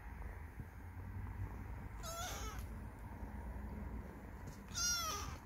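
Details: Lost stray kitten calling with two short, high meows, one mid-clip and one near the end, each slightly wavering, over steady low background rumble.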